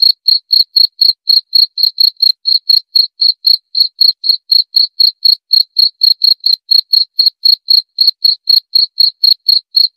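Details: Cricket calling without pause, a rapid, regular string of shrill chirps at about four per second, each with a faint upper tone; no other noises present.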